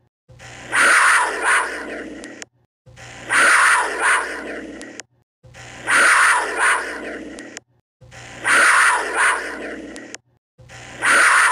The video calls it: COUGAR SOUND